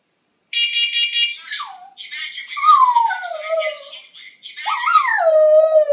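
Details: Pet dog howling at a smoke detector indoors; a steady high electronic beeping opens, then long wavering howls sliding downward from high to lower pitch, with whimpering overtones and a final drawn-out falling howl.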